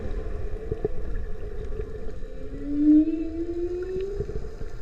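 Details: Whale call recorded underwater while watching manta rays feed, the whale probably within a couple of miles; a single low tonal moan glides slowly upward and swells midway, over a steady low rumbling background with faint clicks.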